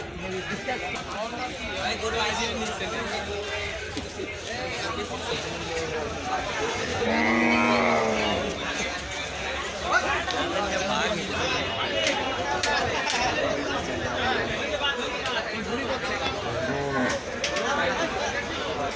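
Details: Cattle at the historic Gabtoli cattle market during haggling over prices; one drawn-out, harmonic moo swells midway through, heard over a constant din of crowd chatter and traders' voices.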